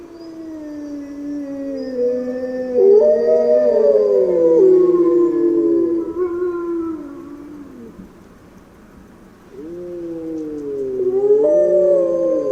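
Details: Grey wolves howling in overlapping voices, several drawn-out tones bending up and down at different pitches, swelling into a loud chorus, easing off briefly, then rising again with wavering, swooping howls.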